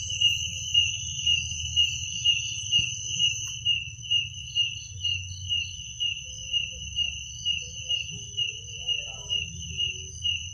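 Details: Night chorus of crickets in Indonesia: a steady, shrill, high-pitched trill pulsing roughly twice each second, overlapped by a softer intermittent chirper, with faint distant sounds and a low background hum.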